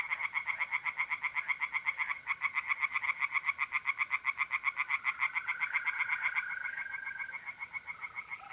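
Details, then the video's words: Pond chorus of tree frogs at night in mid-April, north-east Italy: fast, regular pulsed croaking at roughly four beats a second, with a mole cricket's continuous trill joining in the middle. "relaxing singing tree frogs in pond and trilling mole crickets by night"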